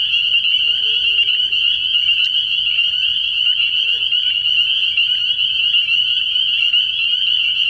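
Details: Spring peepers calling together from a frogpond on an early-year night, their shrill peeps merging into one steady, piercing wall of sound, with a few faint lower chirps in the background.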